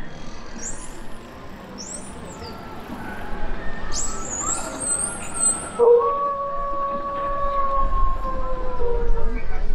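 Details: At a 2019 Parc Astérix dolphin show, dolphins give high, arching whistles that rise and fall, calling together as they coordinate travel and group hunting. A crowd murmurs in the background, and long, steady lower tones follow.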